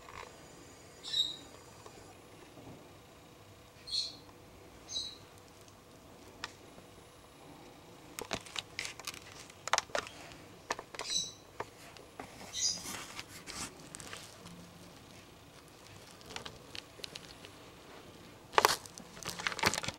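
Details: Young fox close to a front porch giving scattered high, thin squeaks, about five in the first thirteen seconds, followed by a run of clicks, taps and rustling handling noises.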